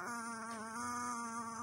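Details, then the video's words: Chihuahua growling at bedtime while being coaxed to bed: a steady, tonal, buzzing growl held without a break, with a slight waver in pitch. "Chihuahua becomes Devil-Dog at bedtime."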